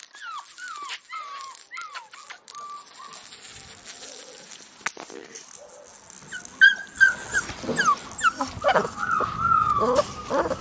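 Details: Blue merle male Australian Shepherd puppy, held indoors, giving short high whimpers that slide downward at first. Later a cluster of louder whines and yips comes with handling noise.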